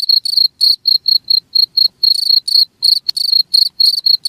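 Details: Cricket chirping in quick shrill pulsed bursts, close to four per second and irregular in length, with one sharp click midway through.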